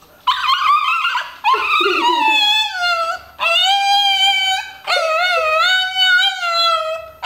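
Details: Domestic dog "talking" to its owner inside a home, producing four long, singing howl-whines that waver and slide downward, each lasting about a second or more with brief pauses between, all loud and clear.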